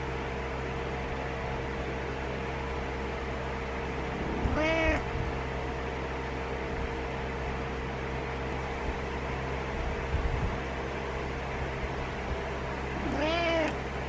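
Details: ['Butters, a pet cat, meowing in the morning to get the owner out of bed: two drawn-out, slightly rising-then-falling meows about eight seconds apart over a steady indoor hum.']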